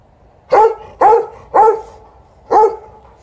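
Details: Wanting to play fetch after the morning walk, TJ, a 12-year-old Golden Retriever, barks insistently alongside an Alaskan Malamute at ball time. Three quick loud barks come in a row, then a short pause before a fourth.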